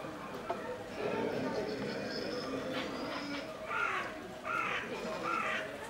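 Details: Two-month-old kid goat at Tobu Zoo crying: three short, nasal, high-pitched bleats come in quick succession in the second half, following a stretch of murmured human voices in the background.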